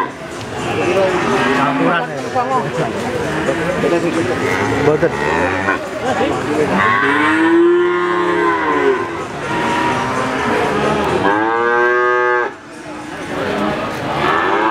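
A young Simmental-cross calf lows twice, each moo a nasal, drawn-out call that swells upward and sags back down. A steady background of mixed farmyard noise and faint voices runs throughout.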